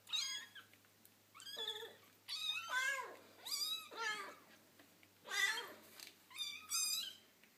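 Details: Foster kittens playing with their momma cat, making a rapid, irregular run of high, bright meows and squeaks, about eight calls in under eight seconds, some overlapping.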